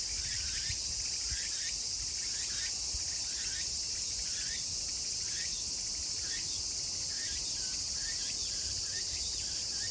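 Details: End-of-summer cicada chorus of Meimuna opalifera, recorded 24 August 2020 in Kawagoe, Saitama, Japan: an unbroken bright hiss carrying regularly spaced rising chirps roughly every half second.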